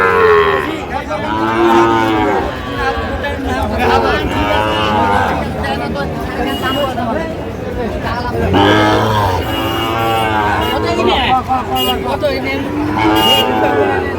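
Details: Young Sahiwal bull calf at a busy Bangladeshi cattle market, bought by a Comilla farmer: repeated hoarse lowing moos spread through the stretch, amid crowd chatter, men bargaining and background music.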